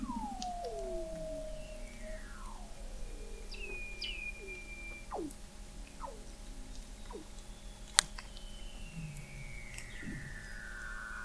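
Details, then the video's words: Recorded in November 2017 at an observatory 21 m beneath the sea ice in McMurdo Sound, Antarctica, Weddell seals produce curving descending whistles, sharp falling chirps and a long high glide, with a sudden click midway and background hum. "Song of the Antarctic Weddell Seal"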